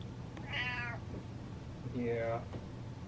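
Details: Contented domestic cat indoors giving two clear drawn-out meows about one and a half seconds apart, each bending upward then sliding down, over a faint low household hum.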